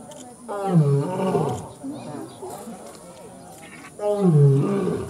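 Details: Lion (Panthera leo), roar.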